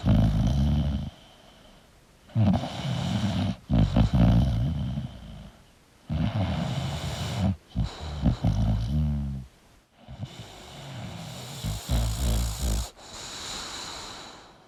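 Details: A sleeping English bulldog snores in deep, rumbling, rasping breaths that come in uneven bursts.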